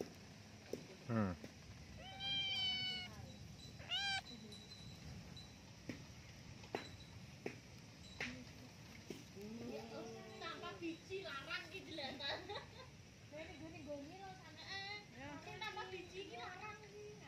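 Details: A cat curious about what is inside a hole gives a series of drawn-out, wavering meows, some rising and falling, spread irregularly over the clip, with a person's voice talking nearby.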